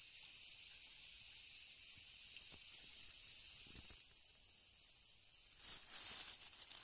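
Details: Japanese leaf katydid, a species found only in Japan, among brown and green individuals searched for outdoors: a continuous dense, high-pitched buzzing whir held steadily throughout, swelling louder near the end, with a few faint knocks.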